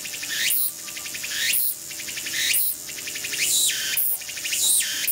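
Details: A tsukutsukuboshi cicada, heard in a rural area where its song is said as "oshin-tsukutsuku, takabeccho", gives loud, shrill buzzing pulses roughly once per second, each ending in a falling swoop.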